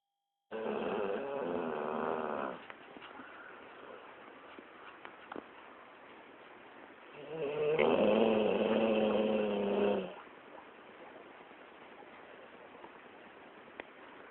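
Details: Pet dog snoring while asleep after a long day of play; a loud rasping stretch in the first two seconds, a quieter steady breathing rumble, then a second loud harsh snore around eight to ten seconds.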